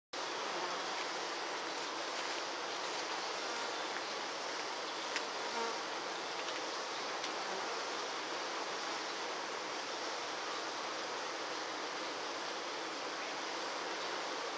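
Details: Honey bees fanning to cool their hive on a 96 degree day: a steady, dense droning hum without pauses, holding an even loudness throughout, with faint brief ticks and no other clear sounds.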